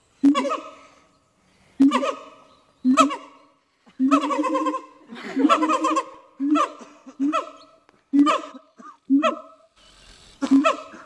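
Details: A siamang family at Dubbo Zoo gives a loud duet of rich, harmonic hoots and barks, about one a second, the female usually starting and the male finishing; it warns other siamangs off their territory. A person speaks in the background.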